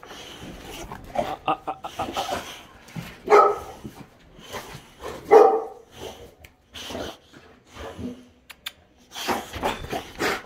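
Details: Boxers at dog daycare pickup, about to go home and be fed, letting out scattered barks and whining yelps between pauses, mixed with shuffling and a person's voice indoors.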